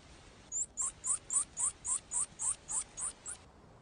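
A pika gives a rapid series of about ten sharp, high squeaks, roughly four each second.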